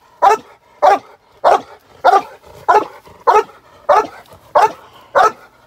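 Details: Male Cane Corso barking during k9 protection training in London, UK: deep, loud single barks repeated steadily about every 0.6 seconds, nine in a row, with no other clear sounds.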